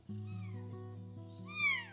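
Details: Bengal kitten about 2 weeks old, eyes newly open and already vocal, gives a loud, high-pitched meow that rises and falls while being held, over steady background music.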